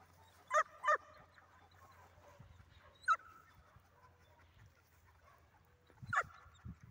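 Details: Dog at a retrieve training session, barking sparsely: a quick double bark, a single bark a couple of seconds later, then another after a long quiet gap, fairly distant against a low hum.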